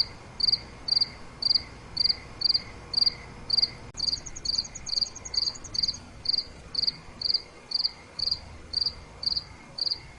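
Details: A cricket chirps at night, bright pulsed chirps at an even pace of about two per second; a soft click near four seconds, then a higher, rapid trill overlaps briefly.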